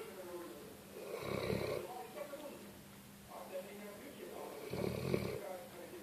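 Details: Pet dog asleep indoors and snoring, giving harsh rasping breaths at a slow rhythm, a louder one near the start, a softer one midway and another near the end, over a low steady room hum.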